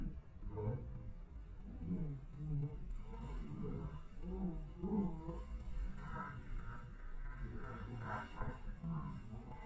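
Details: Collared peccaries in the Amazon at Sinop, Mato Grosso, Brazil, in 2020, squabble with each other, giving deep, rough grunts and growls in rapid, overlapping bursts.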